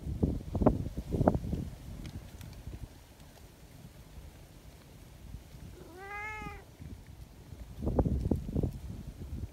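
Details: Friendly, affectionate community cats at a cat gathering greet visitors noisily, each wanting to be petted along with the others. One clear, drawn-out meow arches up and falls back midway, framed by rustling, shuffling footsteps and handling noise.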